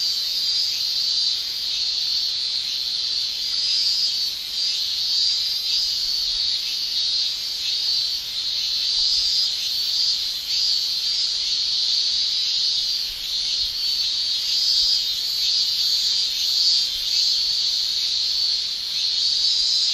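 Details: Male cicadas in Japanese summer keep up a loud, unbroken shrill drone, with higher rhythmic pulsing above it and brief dips in volume now and then.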